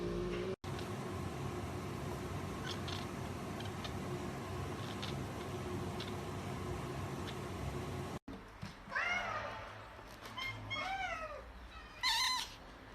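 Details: Cat meowing after several seconds of broadband rumbling noise, then a quick run of short, curved meows and a final higher squeak near the end.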